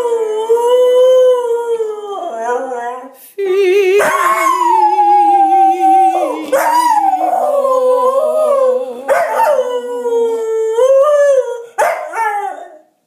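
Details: Pet dog Figo howls along to piano during a mock singing lesson: long wavering, sliding howls that rise and fall in pitch, several separate phrases over steady sustained piano chords, with a person's coaching in between.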